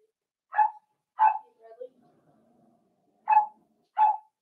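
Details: Indoor pen of 4-week-old Cavalier King Charles spaniel puppies making friends with adult dogs: two quick yips, a soft low murmur in between, then two more yips.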